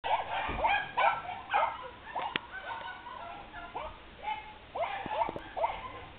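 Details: Soft Coated Wheaten Terrier puppy, a female born June 2012, playing with another dog: short high yips and barks in quick irregular bursts, some rising then falling, with faint low thumps of movement between them.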